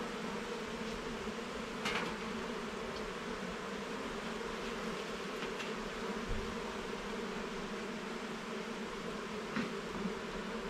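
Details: Honey bee colony in a garden hive during frame inspection: a constant layered buzzing hum, with a scrape near the start and a few dull knocks from handling.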